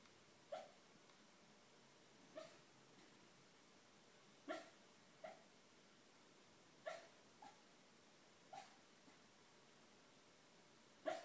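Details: Male schnauzer barking in his sleep while dreaming indoors: soft, muffled single woofs roughly every two seconds, eight in all, some close pairs, over a quiet room hiss.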